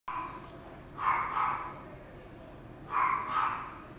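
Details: Toy poodle giving two pairs of short, sharp, mid-pitched barks about two seconds apart, with a quiet room background between them.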